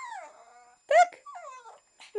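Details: Shih Tzu named Tofik, asked whether he is going for a walk, answers with whiny vocal cries: a fading drawn-out whine, then a loud arched cry near one second, a wavering moan, and a sharp closing yelp.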